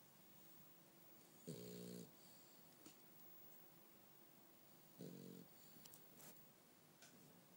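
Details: A sleeping French Bulldog snoring: two rasping, buzzy snores with low harmonic bands, about three and a half seconds apart, with quiet breathing between.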